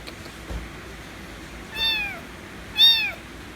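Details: White kitten meowing loudly to demand affection: two drawn-out, bright harmonic meows, the second louder and slightly arched, spaced about a second apart after a quiet start.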